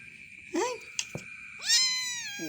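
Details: Cat named Black, head darkened after leaving a cave, utters a short rising squeak, a few clicks, then a loud, long, bright meow that levels off, under a steady high whine.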